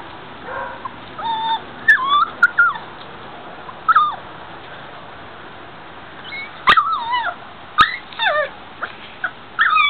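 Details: Five-week-old puppies of a 2009 litter, out in their front-yard pen on a mild afternoon, whimper and yip repeatedly, high warbling cries scattered through, with a few sharp clicks and steady background hiss.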